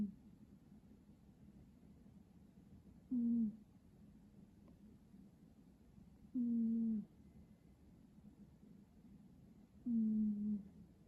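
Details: Cat snoring: soft, low, hum-like tones, each slightly falling and lasting about half a second, recurring roughly every three seconds in a steady breathing rhythm over quiet room hiss.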